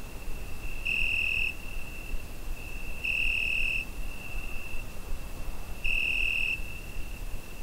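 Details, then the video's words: Night-time summer cricket, recorded on a Zoom H5, holding a constant high shrill note that flares into three louder bursts of around half a second, separated by two to three seconds, with muffled low background noise. "Summer Night Cricket Sound Effect"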